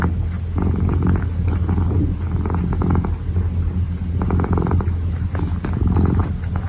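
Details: Deep, steady purr from a kitten kneading, the breath rhythm blurred, with scattered soft crackles and rustles over the rumble.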